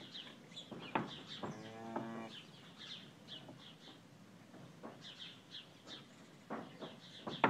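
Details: February, a cow, softly mooing to her first-born calf, five hours old, as he searches for his first meal; a short low harmonic moo near the second, amid busy high chirping of small birds throughout.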